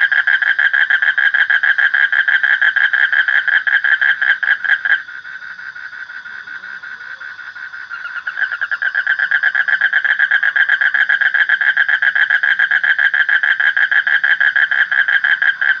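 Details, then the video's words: Frog giving long trains of quick rasping croaks, pausing for about three seconds midway before resuming at full strength; a soft constant high hum continues underneath. "Suara Kodok / Frog Sound"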